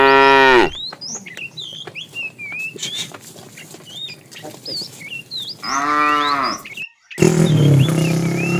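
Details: A herd of tame cows heading for fresh pasture gives a short moo, then a second, fuller moo after several seconds of bird chirps and twitters, ending in rumbling background noise.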